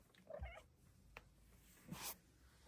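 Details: A female Bengal cat on her closet petting shelf gives brief, bright chirps and a short meow, sounds of joy.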